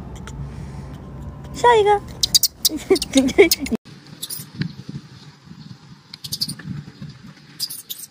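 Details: Baby macaque that has lost its temper, jumping and crying: a loud, wavering, tonal cry with a falling, shaky pitch, followed by several shorter squealing cries, then quieter scattered clicks and a low background hum.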